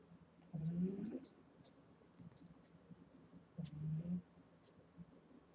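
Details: Eight-week-old female Boston Terrier puppy snoring in her sleep: two rough, low snores about three seconds apart, each lasting under a second, with a faint hissy whistle riding over the breath.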